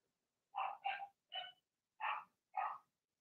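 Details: Blenheim Cavalier King Charles Spaniel puppies, part of a six-pup litter born in March, barking in an indoor puppy pen: five sharp, high yappy barks, the first two in a quick pair, then three spaced about half a second apart.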